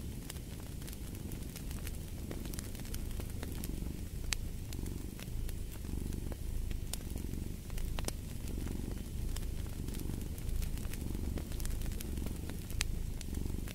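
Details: Low cat purr pulsing softly beneath a loud crackling fireplace, the rhythmic swells partly masked by frequent snaps and hiss of the fire.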